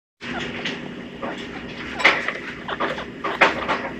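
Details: Loki, a male pet chinchilla with a cinnamon grey coat born September 2015, gives his usual call, one not made by the household's females: short squeaky bursts repeated irregularly, two sharper peaks near the middle and end, over a steady background hum.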